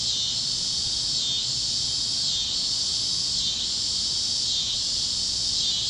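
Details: Kansas fields at sunset on a warm evening, alive with cicadas: a shrill, sizzling drone rising and falling in slow waves about every second, with a faint low rumble beneath.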